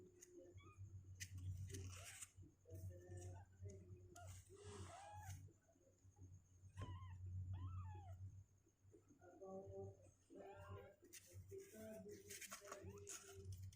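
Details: Two-week-old kittens, stronger on their legs and climbing out of the box, let out intermittent clusters of thin wavering mews between pauses, over a continuous low hum and occasional rustle.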